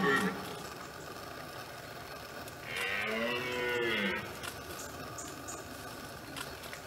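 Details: Red deer bellowing in the autumn rut, France, 2017: one drawn-out, rich roar lasting about a second and a half, arching up then down in pitch, set in a quiet, hissy outdoor background with brief faint noises before and after.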